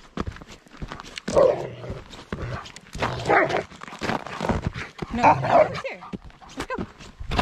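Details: Old English Sheepdogs out on a walk at their favourite time of day: three short, mid-pitched barks or yelps, roughly two seconds apart, over rustling footsteps and outdoor movement noise.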